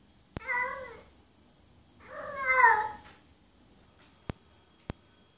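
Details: A female cat in heat gives two long, falling meows to call a mate, the second louder and more strained, followed by a couple of sharp clicks in an otherwise quiet room.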